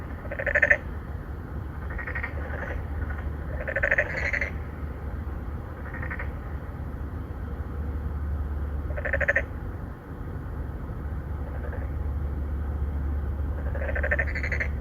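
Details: Narrow-mouthed frogs, an endangered species, calling in a pond within an apartment complex in Songdo, Incheon, South Korea, three or four males seeking females. Rasping pulsed croaks repeat at irregular intervals of several seconds against a constant low hum.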